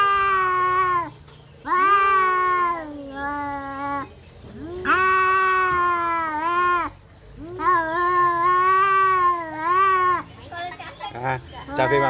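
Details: Cats fighting: a series of five sustained, quavering yowls lasting one to two seconds each, pitch sliding up and down, with short silences between and a scratchier, noisier burst at the end.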